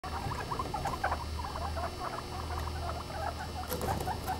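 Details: Guinea pigs making a mix of their sounds: dense, rapid short squeaks and chirps in the mid range, chattering throughout, over a steady low hum.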